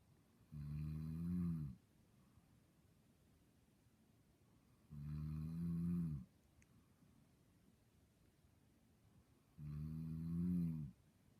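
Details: Dog asleep and dreaming, snoring steadily: three deep, buzzing snores lasting just over a second each, spaced about four and a half seconds apart, quiet breathing pauses in between.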